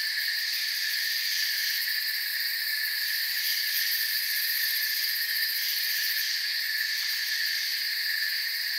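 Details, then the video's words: A forest cricket chorus: continuous high, shimmering trills stacked at several pitches, even in loudness from start to end, with fast pulsing in the topmost layer and no breaks, voices or other animals. "Forest Sounds and Crickets"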